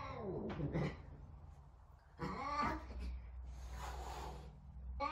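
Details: Talkative Savannah cat Sabian searches for Sabina, another cat. Two arching, harmonic-rich meows about two seconds apart stand out over low background hum and faint rustling.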